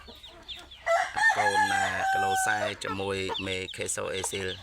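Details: Asil and Kelso cross gamecock weighing 3.2 kg, eight months old, gives a loud sustained crow with steady tonal bands, overlapping a man's speech throughout.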